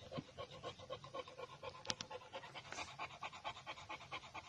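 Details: Brindle male Boxer puppies from champion bloodlines panting quietly: fast, steady breathy puffs, roughly two per second, soft and close, with a single sharp click partway through.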